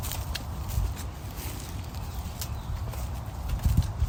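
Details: Horses at a horse retirement farm in Florida, caught in an unedited iPhone field recording: soft, low hoof thuds on grass, irregular, with two heavier knocks near the end over a steady low outdoor rumble.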